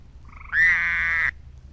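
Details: A Fowler's toad, recorded on April 13 near Statesboro, Georgia, gives a short, nasal, buzzy waaah, harsh and steady for under a second, while a tree toad also calls.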